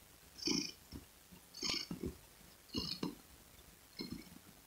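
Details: Purring domestic cat with breathy, raspy rumbles repeating about once a second, four clear cycles, the hiss of each breath prominent and little low background noise.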